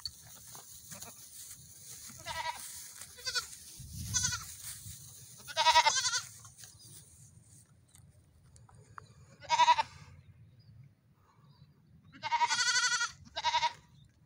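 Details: Goat kids running in the morning give wavering, nasal bleats in separated bursts, two or three close together, with pauses of a few seconds between groups over a low background rumble.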